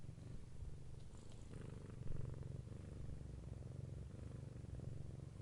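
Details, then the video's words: Close, low rumbling purr of a domestic cat, steady and gently pulsing, with a faint breath hiss early on and a slight louder moment midway. "Cat Purring Sound Effect"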